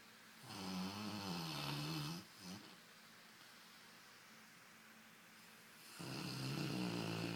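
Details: Brunão, a Golden Retriever, snoring during a lazy Sunday nap while twitching his nose and smiling; two long, rough, low rasping snores with stacked harmonics, separated by a quieter breath.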